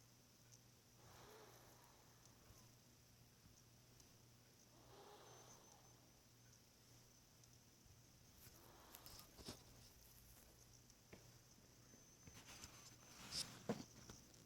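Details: Mimi, a cat sleeping at midnight on January 1, 2016, snoring softly: faint, breathy rasping snores recurring about every four seconds over a steady low hum, with a few light rustling clicks toward the end.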